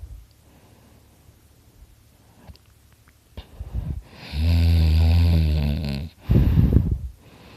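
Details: Quiet breathing from sleeping dog Dakota swells into a long, loud, buzzing snore lasting about two seconds, followed by a short, rough, snorting exhale.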